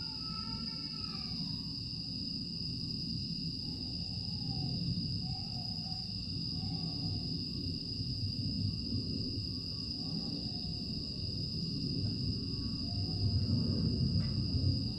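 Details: Summer night in Aewol, Jeju, 25 August 2022: grass insects hold a constant piercing high drone throughout. A falling whistle-like sound opens the recording, soft scattered chirps follow, and a deep rumble stays underneath and swells toward the end.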